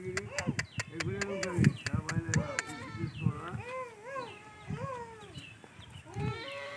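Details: Goats bleat in a run of arched, nasal calls that rise and fall, several overlapping in quick succession, with sharp clicks and knocks in the first half and light background voices.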